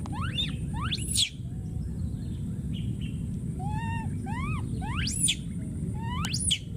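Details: Young wild monkey repeatedly screaming for his friend: a run of sharp, high rising-and-falling shrieks and arched harmonic cries in quick succession, with steady low rumble underneath throughout.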